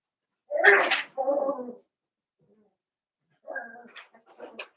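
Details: New Year's litter of blenheim Cavalier King Charles Spaniel puppies in an indoor pen: a loud rough yelp followed by a whiny whimper, a pause, then softer broken whimpers and squeaks.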